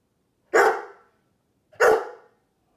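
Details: Sheepadoodle gives two loud, deep barks about a second apart, acting as a watchdog/guard dog.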